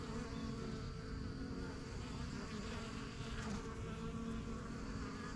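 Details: Busy buzzing of honey bees around a backyard yellow hive, a newly started colony from spring 2023 flying in and out; dense continuous low hum, with higher whining tones from individual bees passing close.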